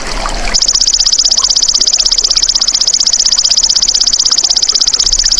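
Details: Golden grasshopper, recorded as a master track for training songbirds: a bright, high, continuous buzzing trill of rapid pulses, about four per second, starting after a brief noisy half-second and holding steady to the end.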